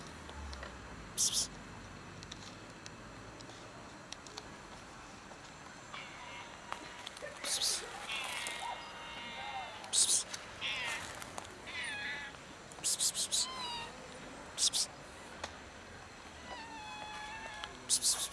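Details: A cat known as Loaf, hiding before it is finally fed, gives a few drawn-out, bending meows spaced several seconds apart. Sharp clicks and rustling handling noises come between the calls over a quiet background.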